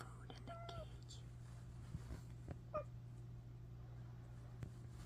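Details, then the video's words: Excited-sounding cat giving brief melodic chirps, one drawn-out falling trill near the start and another short chirp later, over a constant low electrical hum with quiet whispering and light taps. "makes weird sounds like she's excited"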